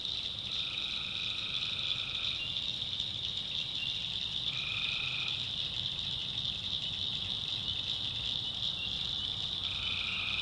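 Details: Night chorus of tree frogs from the North Carolina backwoods. A continuous high-pitched ringing fills the air while separate trills of one to two seconds rise out of it at roughly four-second gaps. Crickets also share the swamp soundscape.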